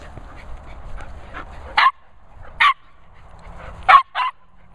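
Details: Noisy Nala, a Border Terrier, meets Cocker Spaniels Finlay and Murphy; four loud, abrupt barks, the last two close together, spaced by quiet gaps with low background noise.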